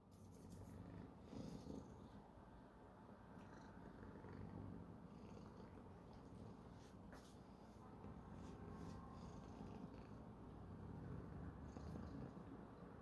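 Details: A male cat purring while yawning, indoors; a steady low rumbling purr runs through the whole recording, about four pulses per second, with faint clicks and rustles above.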